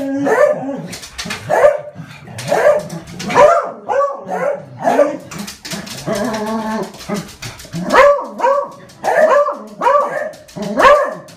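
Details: Domestic dog barking at birds and cats entering its garden; a long run of repeated barks, some higher and yelping, with a sustained whining stretch in the middle and a tight cluster of barks near the end.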